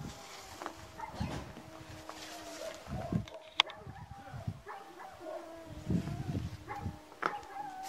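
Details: Georgian Shepherd dogs (nagazi) kept by their owner, howling: long, steady drawn-out tones held for several seconds with faint upper overtones, mixed with broken low rumbling and scattered short noises.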